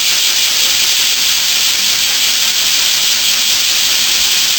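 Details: Early summer morning in western Japan, where a massed chorus of bear cicadas forms a continuous, even, high hissing drone, loud and unvarying from start to finish.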